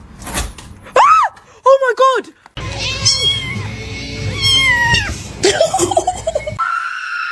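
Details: A domestic cat gives a few short, arched meows in quick succession, then longer drawn-out cries as people talk over the background.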